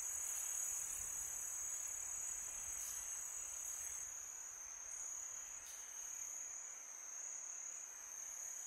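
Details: Crickets chirping through a peaceful summer night, a sustained high shrill trill with a couple of brief soft ticks partway through, over low windy hiss.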